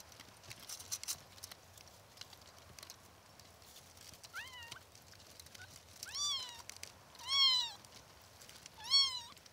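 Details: Kittens mewing: after a quiet start, thin high rising-and-falling mews come at intervals of about one and a half seconds, growing louder toward the end, over faint background hiss.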